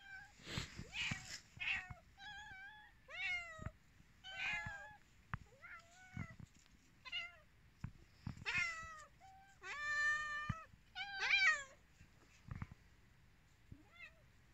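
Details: Several pet cats meowing while they wait for food, a busy chorus of short and drawn-out meows with rising and falling pitch, calls coming roughly every second or two and often overlapping.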